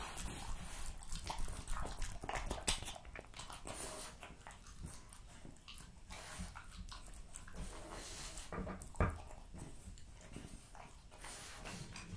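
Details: A female French Bulldog named Jessica eats raw lamb cutlets, beef schnitzel and pulled pork until her plate is finished. Dense, rapid crunching and gnawing fill the room, with a heavy low-pitched chomping rhythm and occasional louder cracks.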